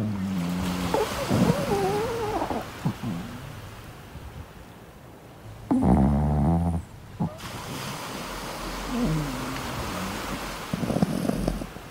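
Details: Chihuahua puppy talking in its sleep while van camping on the beach: soft, wavering whines and small grumbles come in short bursts, with a louder rumbling burst midway, over a steady rushing background.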